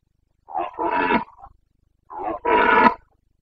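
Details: Breeding-season roaring of a Carpathian red deer stag, Bucovina, 29 September 2022: two paired bursts, each a short grunt running into a longer, rasping bellow, with a gap of about half a second between pairs.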